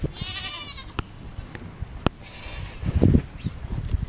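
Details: African Pygmy goat doe, one brief quavering bleat at the opening, then scattered clicks, thumps and low rumbling movement sounds.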